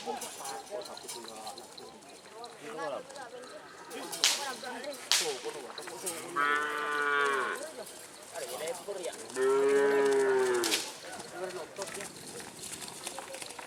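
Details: Madurese racing cattle at bull racing practice on a field in Asemanis, Pamekasan, Madura, East Java, Indonesia; two drawn-out moos with rich harmonics, the second louder and longer, amid crowd chatter, clatter and sharp knocks.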